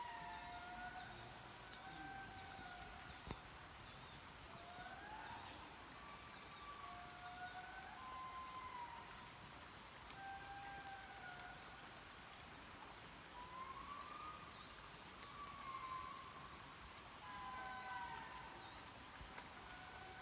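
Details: Indri lemurs calling in Mantadia-Andasibe National Park, a sound said to carry for miles: mournful sliding wails, some swooping upward, come in repeated phrases amid constant background hiss and occasional clicks.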